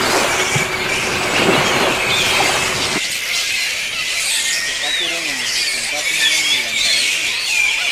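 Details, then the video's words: Fruit bats roosting in island trees at Misool, Raja Ampat, West Papua, squabble in a dense chorus of shrill, bird-like squeaks and chatters, likely vying for position; a man talks over the first seconds. "They almost sound like birds, but you can hear them. They're bickering and probably vying for position and whatnot up in the trees."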